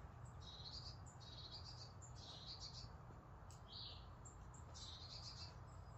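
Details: Pet squirrel Tintin, indoors at home, looking for and missing his big brother: a run of high, thin, buzzy chirps in short bursts about every second, some louder than others, over a steady low electrical hum.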